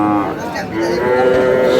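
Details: Sahiwal bull calves at a cattle market in Satkhira, Bangladesh, on 10 May: a sustained, tonal moo that rises slightly and then holds steady for nearly two seconds, over a low murmur of market voices.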